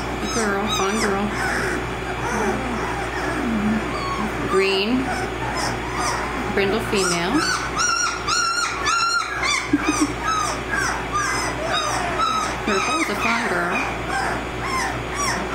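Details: A litter of 18-day-old American Mastiff puppies from Kimi and Viho calls in a chorus of high, wavering squeaks and whimpers that rise and fall. A woman talks over them throughout.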